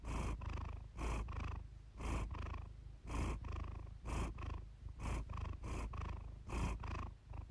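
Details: A cat named Iris purring while relaxing, recorded close up: a low, continuous rumbling purr that pulses in breathing-paced bursts about once per second, steady and soft throughout.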